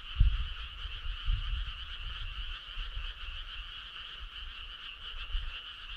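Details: Frogs in full chorus on a summer night, a steady rapid trill in two layers, with a few low knocks and rumbles at the start that settle into a quieter background.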